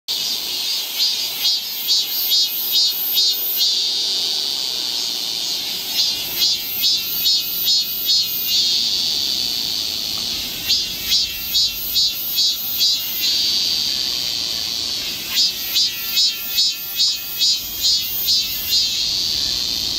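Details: Cicada chorus in summer in the forest of Galsan Park, Yangcheon-gu, Seoul, South Korea, recorded on a walking trail: loud buzzing pulses repeated steadily about twice a second, in bursts separated by shorter steady droning stretches.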